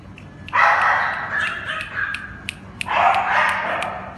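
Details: Cane Corso puppies from one litter: two long, loud, harsh whining cries, the first stretching nearly two seconds, the second starting after a brief pause, with faint clicks between.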